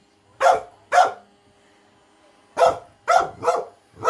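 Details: Small female pet dog indoors, afraid of an automatic robot vacuum, running and barking at it: sharp, loud barks in two bursts, a pair and then four in quick succession, with a quiet pause between.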